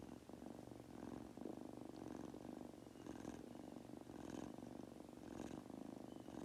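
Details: Munchkin kitten, a pet indoors, purring while falling asleep: a steady low rumbling purr with soft breathy swells roughly once a second, each inhale and exhale faintly audible.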